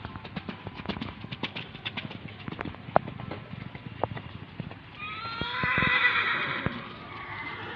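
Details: Horse at Gelanggang H.M Hasan Gayo, Takengon, Aceh Tengah, Indonesia, where horses are training days before the 2023 Gayo traditional horse race. Scattered hoof knocks and crowd noise, then a loud, rough whinny of about a second and a half that fades.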